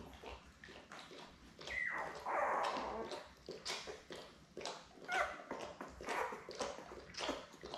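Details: Newborn Labrador Retriever puppies, seven in the litter, born May 24, 2021, with mother Belle on June 3: one drawn-out whining squeal, followed by shorter squeaks amid rustling and soft knocks.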